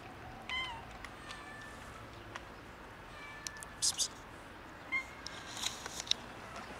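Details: Hungry cats meowing to ask for food: a few short, thin meows near the start and another around five seconds, over steady background hiss with scattered clicks and knocks.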